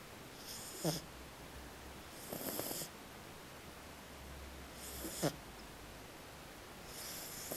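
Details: Maddie, a pet French Bulldog, snoring; raspy breathy snores recur about every two and a half seconds, each a short noisy burst with a hissing airy edge, over a quiet indoor background hum.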